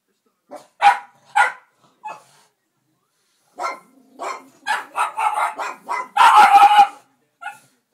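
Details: Two pet dogs barking while watching a dog on television, one dog chasing the other; sharp barks in short bursts, a dense run of rapid overlapping barks near the end.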